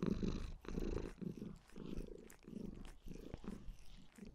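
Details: Lilith, a white Maine Coon kitten, purrs sweetly as she shows love to her owner; a soft, steady low purr rising and falling with each breath, indoors.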